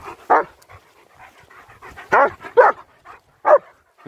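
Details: German Shepherds on a winter walk; a few short, hoarse barks and yelps spaced irregularly, with soft breathy sounds between.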